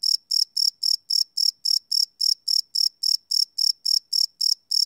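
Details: Crickets chirping at night, recorded live with a Sony PCM D100 field recorder: a high, pure pulsed chirp with strong harmonics, about seventeen evenly spaced bursts in five seconds, against a silent background.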